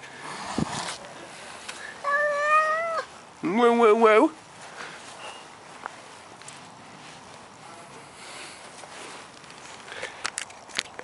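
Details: A male Maine Coon cat, not wanting to leave his favourite garden bush, gives two drawn-out meows, the second louder with a wavering, chirpy rise and fall.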